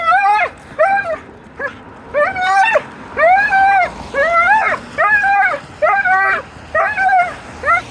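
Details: Dog uttering a run of loud, arched, tonal whine-yelps, roughly one per second, each rising then dropping, almost talk-like in rhythm.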